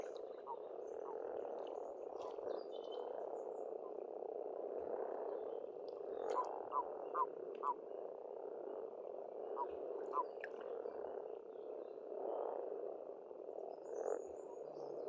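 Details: Numerous frogs croaking at a spring pond on an Estonian homestead, a sustained humming rattle of overlapping calls, punctuated by occasional sharp clicks and a few distant bird chirps.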